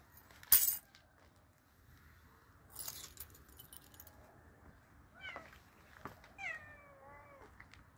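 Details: A hungry cat being fed gives two short meows near the end, the second a wavering, falling cry with rich harmonics, after clicks and a sharp clatter earlier; a quiet hum lies beneath.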